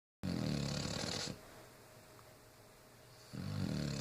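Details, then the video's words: Olive, a female dog, snoring while asleep: a rough, low rattling breath lasting about a second, a quiet pause, then the next snore beginning near the end. "Olive snoring"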